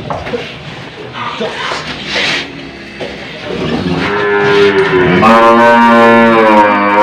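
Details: Old, tough cow in Indonesia having a nose rope fitted: after scuffling handling noises, a rich harmonic moo swells up and holds loudly for about three seconds to the end.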